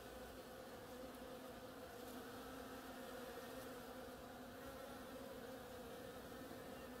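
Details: Bees feeding on oriental creeper flowers make an even, continuous buzzing drone, overlapping hums from several insects with faint ticks in the background.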